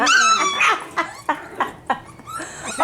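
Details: Five-week-old F1b Cavapoo puppies from Honey's litter, kept at a commercial kennel in Carthage, Missouri, give a drawn-out high whimper followed by a string of sharp, short yips about every third of a second, ending in another whine.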